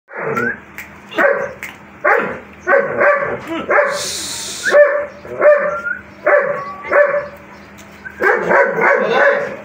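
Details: German Shepherd giving a run of short, tonal barks and yips in quick bursts about once a second, with some bursts sliding upward into whiny notes, and a brief hissing noise partway through.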